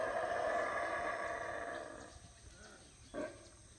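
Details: Howler monkeys on their usual morning routine, heard from Howler Monkey Resort in the jungle of Belize on a rainy morning; a strong throaty roar trails off over two seconds, followed by one short grunt.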